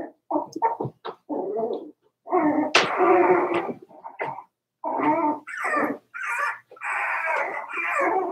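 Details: Daisy's four-week-old Cavalier King Charles Spaniel puppies in their indoor pen, giving a busy run of rough whimpers, yips and squealing cries in bursts, several overlapping, with brief quiet gaps between.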